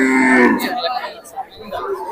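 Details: Cattle for sale at a busy Gabtoli cattle market the day before Eid, 2024; one loud, low moo held for half a second with a falling end, followed by crowd chatter and men discussing prices.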